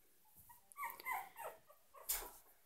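A Yorkshire Terrier puppy gives a few high, thin whimpering yips in quick succession.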